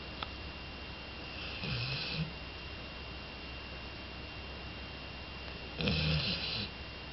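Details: Sleeping Labrador Retriever Jolly, a two-year-old female, lets out two raspy snores about four seconds apart, each under a second long, separated by quiet breathing-free room hiss.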